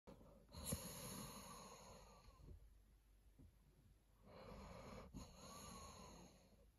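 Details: A sleeping Dobermann snores with long, rasping, wheezy breaths, each drawn-out inhale rumbling low.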